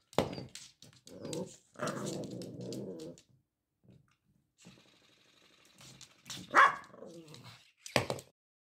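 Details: Prada, a Cavalier King Charles Spaniel turning one, plays with her birthday interactive ball. There are abrupt barks at the start, midway and end, with a sustained grumbling growl between them and a brief quiet mechanical buzz.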